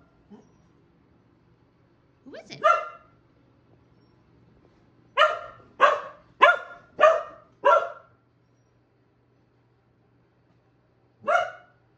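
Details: Keeshond and Boston Terrier greeting their returning owner with barks indoors; one bark, a quick run of five sharp barks, then a pause and a single final bark, with a faint low hum beneath.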